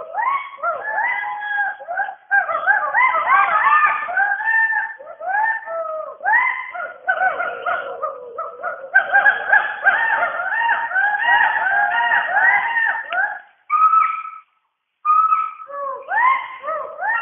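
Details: Western hoolock gibbons calling from the rainforest canopy in Dampa Tiger Reserve, Mizoram, India; loud overlapping rising whoops from several callers in rapid series, a few brief pauses, then sustained notes and renewed swooping calls.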